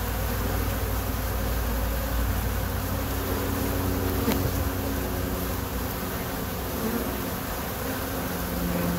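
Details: Many kept honey bees buzzing together in a dense, steady drone with low humming tones that drift up and down as individual bees fly past, and one sharp click near the middle.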